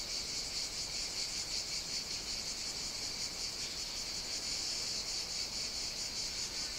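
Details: Cicadas on the Greek island of Evia singing in summer heat, a loud continuous sizzling drone with slight regular pulsations, never pausing, nothing else clearly heard.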